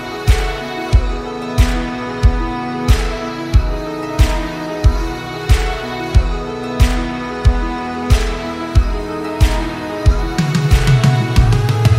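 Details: Only music is heard: a steady electronic beat with deep bass pulses about every two-thirds of a second and sustained tones, swelling into denser bass near the end.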